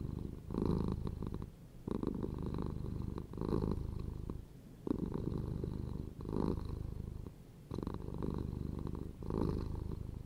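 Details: Contented pet cat purring, a rough low vibration heard in alternating strong and weak phases, the louder surges returning about every one and a half seconds across ten seconds.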